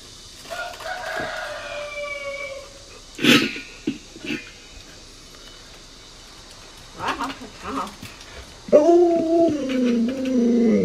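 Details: Alaskan Malamute Luoluo, a pet dog annoyed as its owner pretends to cook and eat dog-meat hotpot, gives a drawn-out, wavering, moaning howl near the end, after kitchen clatter, sharp knocks and the owner's voice.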